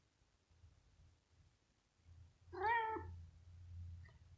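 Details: A young kitten, teased with a finger while resting in its scratching house indoors, nervous yet eager to play, gives a single short harmonic meow that holds steady then dips at the end, over a low rumbling background.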